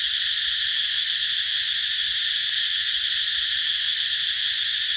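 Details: Cicadas singing under a tree in summer fill the air with a steady, shrill, high buzzing drone that never pauses.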